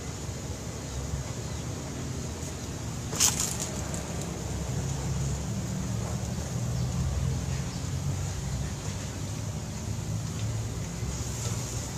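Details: Steady low rumbling noise like wind or distant traffic, with one sharp click about three seconds in and no animal calls.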